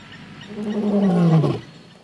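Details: A male lion at MalaMala Game Reserve, South Africa, gives a deep, harmonic roar that slides downward, laying down a challenge to a rival coalition of males.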